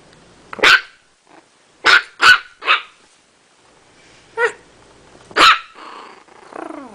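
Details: Chiweenie puppy letting out sharp, high barks in quick pairs, then a lone yip and a final bark trailing into a falling whine, with a person's voice nearby.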